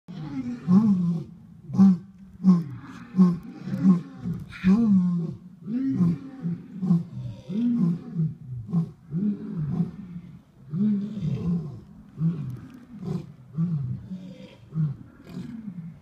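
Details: Several lions roar together at Turpentine Creek Wildlife Refuge on Saturday, December 26, giving deep, throaty grunts repeated in bursts about every second that overlap into a rolling chorus, with faint human voices in the background.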